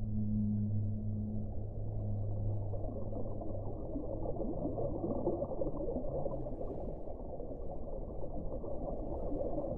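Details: Whale song: two long, low droning tones sounding together at the start and fading out after about four seconds, leaving only dense underwater rumble and hiss.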